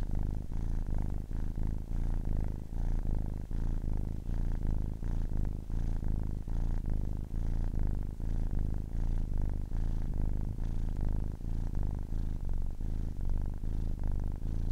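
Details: Ten-week-old kitten purring steadily: a deep, continuous low rumble with throbbing pulses, unbroken across the whole stretch, no other sounds.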